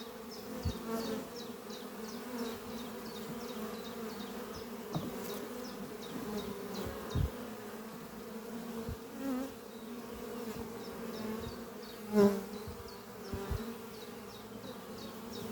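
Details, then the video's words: Busy honey bee colony at the Doppio hive, workers carrying pollen on their hind legs in spring; a sustained humming drone with scattered close buzzes and bumps, plus a regular run of high chirps that fades midway. "Relaxing sound of bees flying at beehive Doppio on a spring morning"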